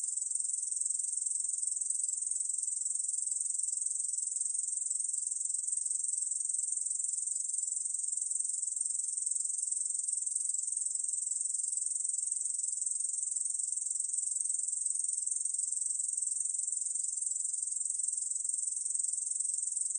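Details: Long unbroken song of a Korean bush cricket: a shrill, dry, sizzling buzz of very rapid pulses held at constant pitch and volume for the whole stretch, no background noise.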